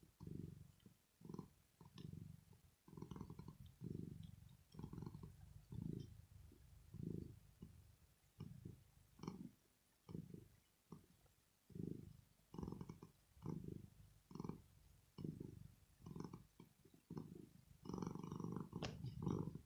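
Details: Rosetta, a pet cat, purring as she sleeps, relaxed and content; a long even run of low vibrating pulses follows her breathing, with a faint click near the end.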